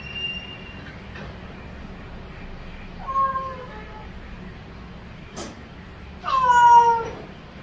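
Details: Domestic cat calling its owner with meows: a short, faint meow, then a sharp click, followed by a louder, longer meow that rises and then falls away. A low background hum is present.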